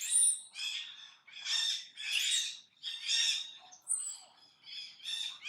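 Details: Monkey named Brady, filmed in his daily activity, repeatedly making an unusual noise: harsh, high, harmonic squealing cries in bursts about every 0.7 seconds, with a brief thinner squeak near the fourth second.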